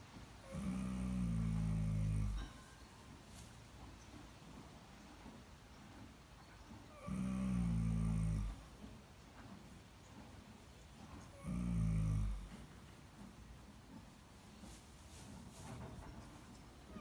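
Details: A horse snoring: three long, low, rumbling snores roughly every five seconds, each lasting a second or two, separated by quiet stretches with soft background hiss.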